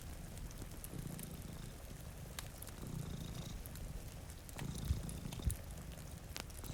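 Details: Low, steady purring from two sleeping cats by a rain-streaked window, pulsing in rhythmic breaths about every two seconds, with fire crackles and gentle rainfall around it.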